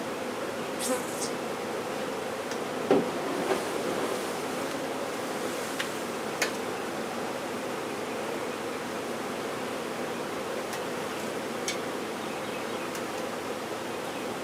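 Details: Honey bee swarm during a removal, a dense, steady droning hum of many wings that holds without break, with a few faint clicks and taps scattered through.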